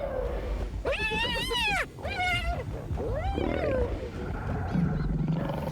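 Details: Aggressive calls in a clash between lion and hyena as the lion chases the hyena: the lion snarls and growls low while the hyena's wavering, whooping squeals ring out over it.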